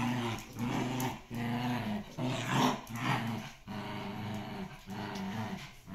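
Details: Two dogs playing tug of war, from a Shiba Inu and Samoyed breeder in the Netherlands; low, rumbling growls in rhythmic pulses, roughly eighty a minute, continuing throughout.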